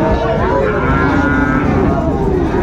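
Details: Sahiwal calves at the Raniganj cattle market in Chattogram, Bangladesh, 16 September 2024: one sustained, steady lowing moo under loud market chatter and bargaining voices.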